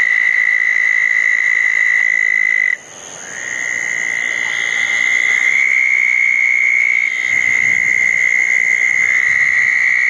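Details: Southern toads calling at a pair of small dug ponds on a wet night after a thunderstorm, June 10, 2014; long steady high trills overlap almost without pause, with one brief break, and fainter higher buzzy notes sit above them.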